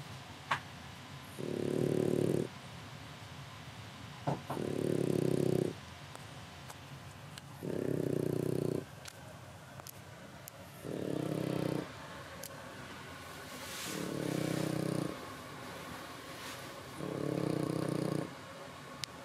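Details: Sleeping French Bulldog puppy in Japan snoring deeply, rough buzzy breaths lasting about a second, repeated every two to three seconds, with a few faint clicks and rustles between them.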